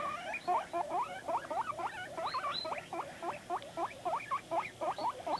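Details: Pet guinea pig indoors, making noises in response to videos: a rapid series of short, high squeaky calls, about four per second, rising and falling, with a soft background hiss.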